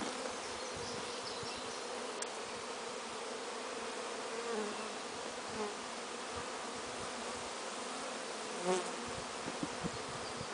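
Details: Many western honey bees, newly installed in hives and checking out the area around their new homes, make a continuous low droning buzz of countless overlapping wingbeats, with brief louder passes as individual bees fly close.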